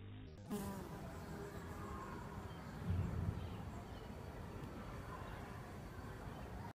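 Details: A bumblebee at a cactus flower gives a low, droning buzz that hums steadily and swells briefly as it comes closer.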